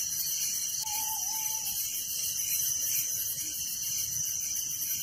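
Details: Night chorus of crickets in a village, a thick, shimmering high trill that pulses evenly throughout, with one soft, short whistled note early on in the background.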